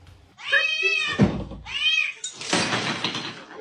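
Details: Two short, arching meows from a cat in a fighting-cats compilation, each rising then falling, followed by a burst of rough, broadband noise and a voice talking nearby.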